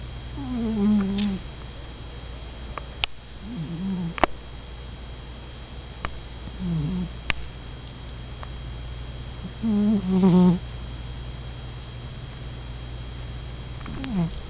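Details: Sleeping pet cat snoring in a quiet room, a string of short, low, wavering buzzy breaths at irregular intervals, with a few faint clicks and taps between them.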